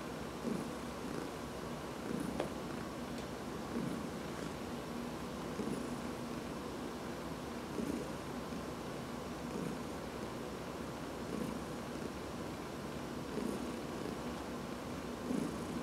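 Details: Purring house cat enjoying a massage, recorded August 13, 2019: a continuous deep, buzzing rumble pulsing in even breath cycles a little under two seconds apart, with faint rustling from stroking hands.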